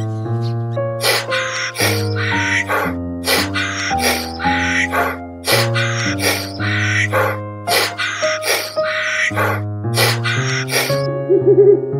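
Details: Only loud instrumental music with steady rhythmic beats is heard, and no animal calls.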